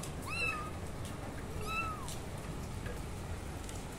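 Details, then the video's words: Kittens meowing: two high, short arched meows about a second and a half apart, followed by quieter background hiss. "Kittens meowing loudly and being the cutest they can be"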